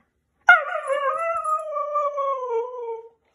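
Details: Siberian Husky, a pet dog indoors, after a 30-minute walk outside: one sustained howl of about two and a half seconds, opening with a sharp onset, then holding steady and sliding slowly lower, with rich harmonics and no other sounds.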